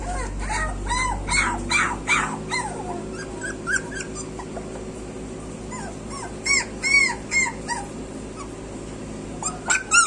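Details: Whining street puppies, a litter calling together: thin, high, arched whimpers and yelps in bursts, loudest near the start and again toward the end, over a low mechanical hum that cuts out after two seconds.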